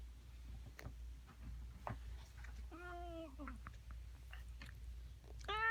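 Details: Domestic cat producing strange noises: a short level meow in the middle, then another rising at the end, amid scattered clicks and rustling taps and a constant low hum.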